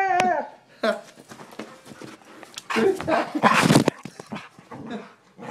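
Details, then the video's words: Pet dog indoors, agitated by the sound of a phone camera, giving a high wavering whine followed by rough growling and playful vocal bursts while a person talks and calls out. "Dog hates iPhone"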